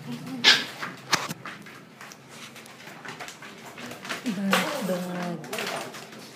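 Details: Siberian husky during play at 3 am, indoors: a few sharp knocks and scuffles early on, then a short run of sliding, talk-like yowls that dip and rise in pitch near the end.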